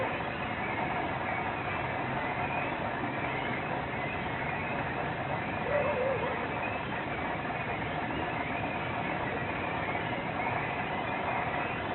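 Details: Steady outdoor background noise, a muffled mix of distant voices and traffic, with no clear animal call.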